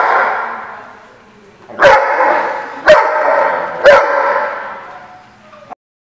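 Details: A dog gives three loud single barks about one second apart, each followed by a long reverberant tail, after a fading echo of an earlier bark.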